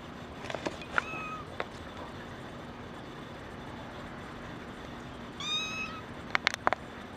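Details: Female brown tabby and white kitten, born 28 December 2010: one short, clear, slightly wavering meow late on, a faint brief cry earlier, a few sharp clicks, over steady background hiss and hum.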